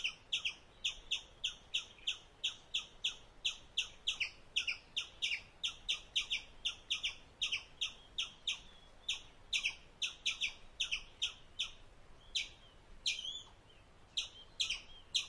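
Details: An Indian palm squirrel gives high, piercing chip notes as it eats. The notes come at a steady pace of roughly two per second and stay evenly spaced, with a brief lull near the end before the chirping resumes, against a quiet background.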